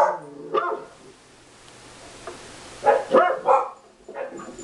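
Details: Household dogs, among them a beagle, respond to played dog-barking sounds indoors; a single bark opens, then after a lull three quick sharp barks follow in close succession.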